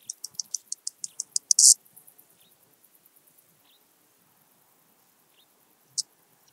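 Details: Eastern banded grasshopper singing in Hungary at Zalahalap, 18 July 2022: an accelerating row of about ten sharp ticks ending in a loud buzzing burst, then fading soft ticks, silence and one isolated rasp.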